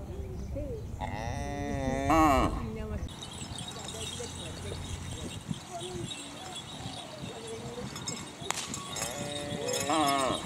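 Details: A new head of cattle of a racing team, heard during a speed test, gives two drawn-out moos. Each is rich and harmonic and rises in pitch, one early and one near the end, with voices and outdoor noise between them.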